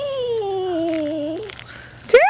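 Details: Paisley, a pet dog, vocalizes during a care visit, calling for Darryl, her owner's son, indoors: a drawn-out, moaning, harmonic tone sliding slowly downward for over a second, then a brief rising yelp at the end.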